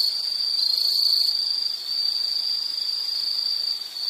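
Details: Insect trill in a nature recording: one sustained, very high, buzzing tone with slight wavering in loudness, no pauses.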